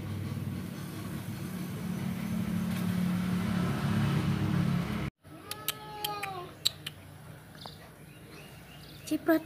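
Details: Persian cat mating with a village cat. After five seconds of engine drone and a brief break come a few short harmonic meowing cries that bend downward, with scattered clicks and people talking nearby.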